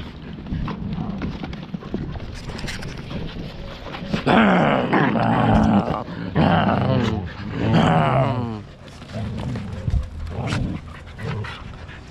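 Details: Pet Siberian Huskies fighting, from a family of parents Turbo and Cloud with four pups. Two bursts of harsh, wavering growl-barks rise midway, with rougher snarling noise and quieter scuffling before and after.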